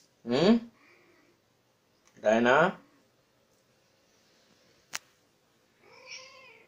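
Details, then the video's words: Female Persian cat in heat, kept as a pet, giving two loud drawn-out harmonic meows about two seconds apart, then a softer wavering meow, with a sharp click between them. "Persian cat in heat🐱 | Female Persian cat heat symptoms"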